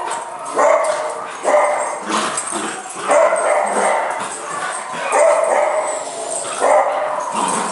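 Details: Copper and another puppy wrestle inside, sheltering from bitter weather; bouncy high yips and short barks alternate with soft whimpering growls in uneven bursts amid scrabbling play sounds.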